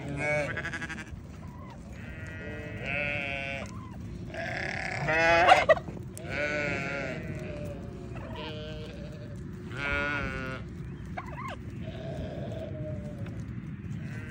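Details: Newborn baby sheep calling in a steady string of short, tremulous bleats, about one every second or so, bright and overlapping at times, over a constant low background hum.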